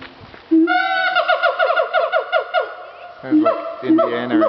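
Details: Siamang apes at Dubbo Zoo, screaming as they did not want visitors around; loud, rapidly repeated whooping notes in a long accelerating series, rising and pulsing, with human laughter faintly nearby.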